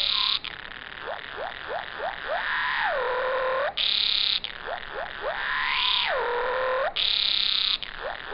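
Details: Walker's cicada (tsukutsukuboshi) song, recorded in sync with slow-motion video and slowed and lowered into buzzy, rising and falling tones repeated in phrases; its tone changes with the movement of its abdomen.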